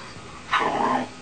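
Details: Domestic dog making a 'talking' vocal sound: a single drawn-out, whine-like note lasting about half a second, sliding gently downward in pitch, over faint steady background hiss.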